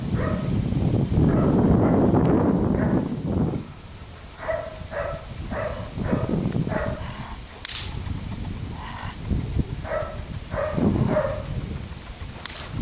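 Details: Felix, a four-month-old Belgian Malinois puppy biting a rag, gives short repeated barks in bursts, roughly four per second at times, with a louder rough tugging and scuffling noise at the start.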